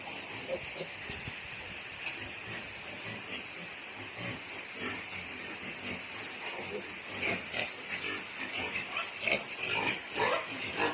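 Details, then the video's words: Newly born native piglets at a backyard breeding farm in Balamban, Cebu, Philippines: a steady, dense wash of high-pitched squealing, with sharper, louder squeals clustering in the second half and brief background voices. "newly born piglets"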